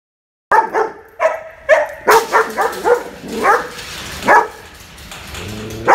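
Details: German Shepherd female, aggressive toward people and dogs, during a training session in Australia: a rapid series of loud, harsh barks about every half second, some with a whining edge, then a pause and two more barks.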